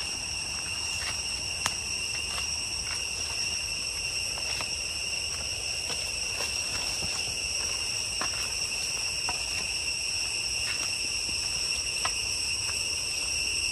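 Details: Cicadas in deep jungle along the way to Chhay Yong Waterfall, Areng area, Koh Kong Province, Cambodia, keep up a steady, shrill, high-pitched whine with a few faint clicks over it.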